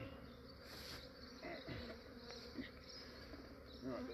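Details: Massive honey bee swarm in Australia being collected by a beekeeper early in the morning, before the day warmed and the bees grew active; a dense, steady buzzing hum with brief louder swells and some handling noise.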